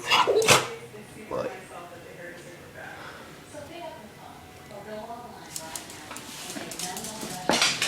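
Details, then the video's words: A pet dog sneezes on cue. A sharp, explosive snort opens the clip, and a second sharp burst comes near the end. In between, a person's voice softly urges and praises the dog. "Cute Dog Sneezing"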